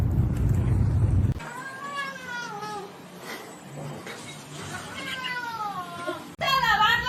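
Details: Kittens in a compilation of cute cat moments: after a burst of loud low rumbling noise, a couple of drawn-out, gently falling meows, with faint background chatter beneath.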